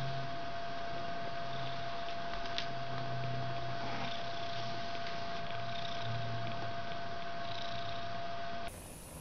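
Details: Domestic cat purring: a low, steady rumble that pulses unevenly through the whole stretch, with a constant faint electronic hum above it and a brief cut at the end.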